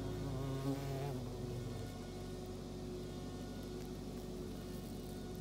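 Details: An Asian giant hornet attacking a beehive gives a deep, droning wing buzz over a steady hum of many other insects.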